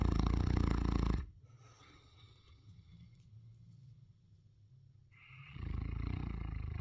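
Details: Sleeping Neapolitan Mastiff named Ernesto snores in deep, rumbling bursts, a loud rasping breath opening and another closing, separated by about four seconds of soft low exhalation.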